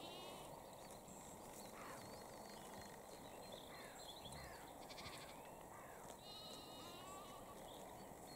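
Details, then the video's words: Several animals bleating in a flock of lambs and sheep grazing in Cambridgeshire, UK, 20 April 2021, 6:46 pm. Short overlapping wavering calls come from different individuals, near and distant, over a continuous rustle. "Lambs head through fence eating grass & Sheep grazing in Cambridgeshire UK"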